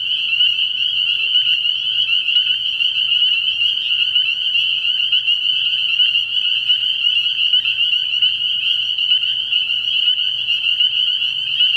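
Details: Spring peepers in a dense night chorus at a frog pond early in the year: countless high, piping peeps merge into a steady shrill band, with quick overlapping notes flickering through it and a faint low hum beneath.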